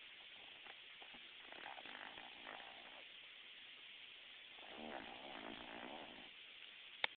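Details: A female Boston Terrier snores softly, with breathy, rattling snorts rising and fading over a quiet background hiss.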